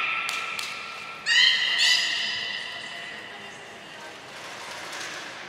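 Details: Belugas Gray, Nana and Mirai training at Port of Nagoya Public Aquarium on 7 June 2022: steady faint tones and a couple of clicks, then one short harmonic call that dies away into quiet background hiss.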